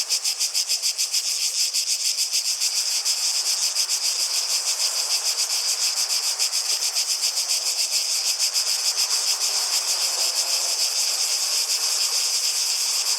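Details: A chorus of cicadas fills the air with a relentless shrill drone, finely pulsed around three times a second, building slightly in strength after the opening seconds.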